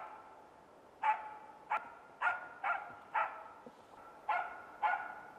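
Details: A hunting Norrbottenspets, or Pohjanpystykorva, in Finland gives a steady run of eight clear, bright barks roughly every half second after a quiet opening, with only faint background hiss.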